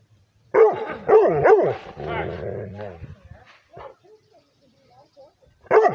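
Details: Liver-nosed Rhodesian Ridgeback barking at a person: three sharp, deep barks in quick succession, a drawn-out rough growling moan, then quiet before another bark bursts out at the end.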